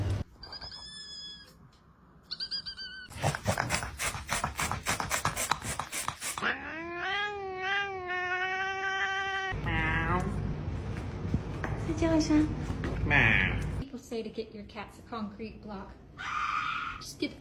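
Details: Domestic cats in a series of funny cuts: drawn-out, wavering yowls and caterwauls that bend up and down in pitch, with short meows and bursts of harsh, noisy rasping between segments.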